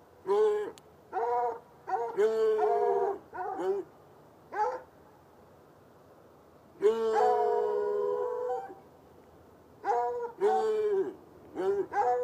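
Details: Two chained hounds, one white and one dark, bark outside at night beside an irrigation ditch near a red outbuilding, about 10 yards off: bursts of drawn-out, tonal baying barks, a pause, then a long two-second bay and more quick barks.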